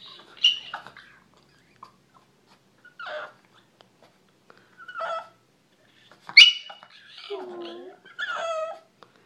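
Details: A French Bulldog with a front leg fractured in a fall cries in pain while awaiting X-ray results: high whines broken by sharp yelps and a quavering whimper.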